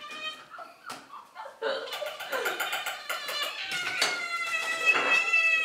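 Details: Pet cats indoors screaming for their dinner: overlapping tonal meows with rich harmonics, rising and falling, growing louder and more continuous toward the end, with faint voices in the room.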